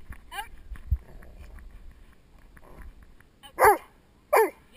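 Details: Doberman male Spock working with a protection helper, head-mounted GoPro Hero2 recording: a faint early bark and murmured sounds, then two loud sharp barks near the end.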